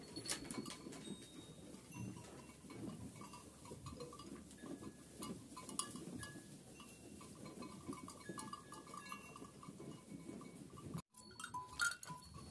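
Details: Kangal sheep with lambs in Kayseri, Turkey: wavering, nasal bleats overlap continuously against a busy background of knocks, clinks and rustling, with a brief silent break near the end.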